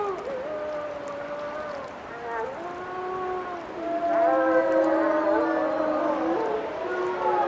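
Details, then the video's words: Group of wolves in a howling chorus: drawn-out, overlapping tones, some gliding up or down, others held steady, swelling louder in the second half as more voices join. "Wolf Song"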